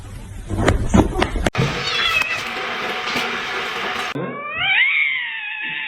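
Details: Pet cat heard in a long, rising then level meow near the end, preceded by rustling, handling noise and a broad noisy passage.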